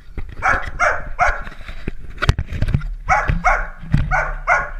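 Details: Dalmatian puppies playing let out loud, shrill yapping barks, about four in a quick series, a sharp knock midway, then another run of four evenly spaced yelps.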